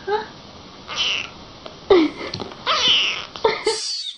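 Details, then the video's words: Kittens playing with their mother cat; several short, uneven mews and squeaks scattered across a few seconds, some sliding downward, with faint handling noise indoors. "Cute kittens playing with mother"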